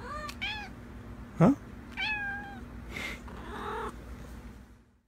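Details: House cat answering her owner's question about being hungry: two short meows a couple of seconds apart, with a sharp squeak and soft rustling indoors between them.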